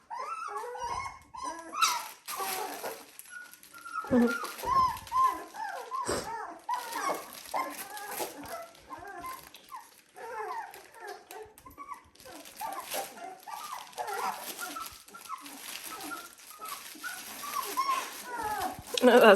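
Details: Litter of 17-day-old Dalmatian puppies giving a steady chorus of overlapping thin whines and squeaks, with handling clatter and a person's voice now and then in the background.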